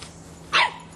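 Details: Boston Terrier puppy, three and a half months old, barks loudly at a soccer ball: one sharp, bright bark, then the start of a second one cut off at the end.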